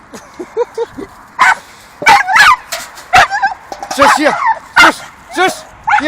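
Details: Two Staffordshire terriers playing with a dustbin lid swinging from a tree. Short sharp yelps and whining squeaks come in quick irregular bursts, mixed with clunks from the lid.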